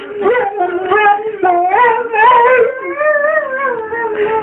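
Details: A Rhodesian Ridgeback named Copper howls along in a 'singing' style: wobbling, yodel-like notes rise and fall in short pulses about every second, then settle into a long, level wail with rich overtones.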